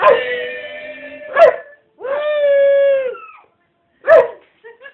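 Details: A Rottweiler cross Staffordshire bull terrier howls long, steady, mid-pitched notes, singing along as people sing Happy Birthday.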